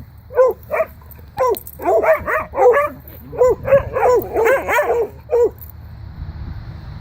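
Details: Pet dogs, Sophie and Boomer, playing together, wrestling and running, answer a spoken 'speak' with a quick run of sharp, mid-pitched barks, about a dozen in five seconds, some doubled, with faint low rumble beneath.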